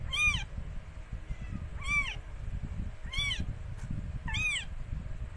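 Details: During the delivery of four kittens by Mikey, a rescued stray cat: four brief, high, downward-curving mews repeated about every 1.2 seconds against steady low background rumble.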